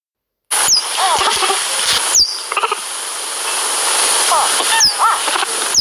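A cheetah cub gives sharp, high chirps that sweep steeply downward, repeated every second or two over steady hiss.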